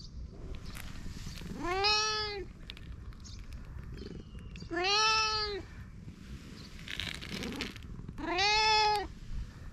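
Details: Fluffy cat meowing three times, each call a drawn-out, arched meow rising then falling, spaced about three seconds apart over a low background hum.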